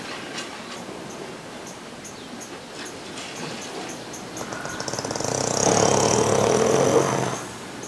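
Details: Horse resting peacefully among people at an Equinisity Retreat in 2016, giving a loud, rasping, breathy snore that swells for about two seconds after a stretch of soft, quiet breathing.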